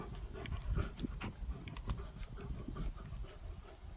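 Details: Close, deep grunts and heavy breathing from Gorlock The Destroyer, a dog, while eating and playing; rough low rumbles pulse several times with light smacking clicks above.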